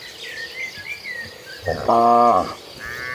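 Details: A cow in a calm herd walking toward green pasture gives a single deep, rich moo that swells and then fades, with faint birdsong behind it.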